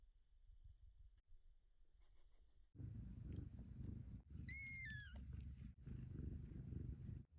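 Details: Stray mother cat purring during her newborn kittens' first days, with a steady low rumble in pulsing stretches broken by brief pauses. A short high squeak rises and then falls midway through.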